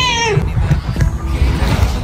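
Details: A cat gives one short meow at the start that slides downward in pitch. A steady thumping music beat follows for the rest of the clip.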